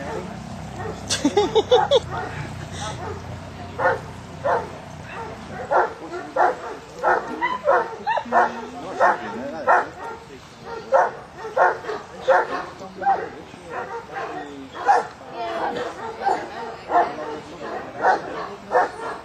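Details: Newfoundland dog named Harry Potter during section D of a water test at Lake Bala, Wales, on rough water, completing his fourth pass at this level; steady series of short barks about one and a half per second, with brief voices near the start.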